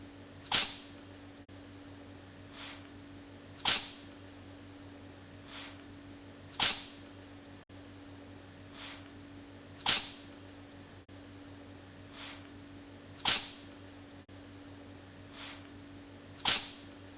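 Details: Bok the cat sneezes again and again on a loop. Crisp explosive bursts come roughly every three seconds, with fainter puffs between them, against a faint steady hum.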